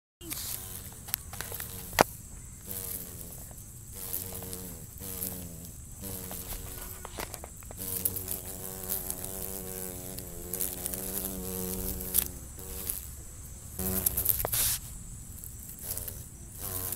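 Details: Eastern cicada killer wasp flying up from new landscaping: a droning wingbeat buzz that rises and falls in pitch as it passes close, swelling and fading repeatedly, with brief clicks and thumps in the background.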